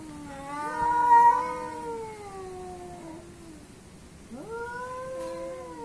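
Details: Two cats squaring off in a fight, one described as Asian and one as African: long drawn-out wailing yowls with slowly falling pitch, a pause, then another rising yowl that levels off; no other sounds.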